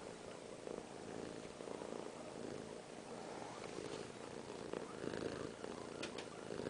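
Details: A small female cat purring steadily while being held by her owner, a soft continuous low rumble with a faint rhythmic texture throughout, in a quiet indoor room.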